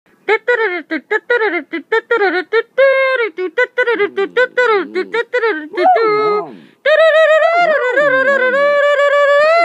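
A long-haired dachshund yips in quick bursts, then breaks into a sustained, wavering howl.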